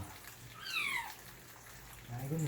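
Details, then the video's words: Kitten getting its first bath gives one clear, long descending mew, followed by a brief low voice and faint water sounds in a small room. "#새끼고양이의 첫 목욕(#냥줍후 첫 #목욕)"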